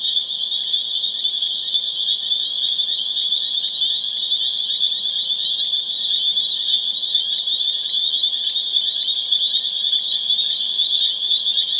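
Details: Full crescendo of a spring peeper chorus, Pseudacris crucifer, at Harvard, Massachusetts on April 27, 2011: loud, shrill, overlapping peeps fused into an intense ringing drone with individual calls flickering through.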